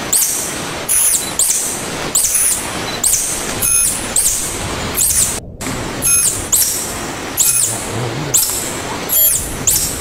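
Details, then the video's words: Rhythmic squeaky calls of a tarsier, called tangkasi by local people, come in high bent notes roughly every second over a hissy, noisy background, with one brief dropout midway. "Tarsier Calling Sound"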